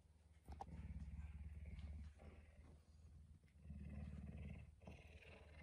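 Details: Pet puma kept indoors at home, waking its owner early in the morning around 5 a.m.; a deep, pulsing low rumble in two long bouts separated by a short pause, with faint clicks and household noise.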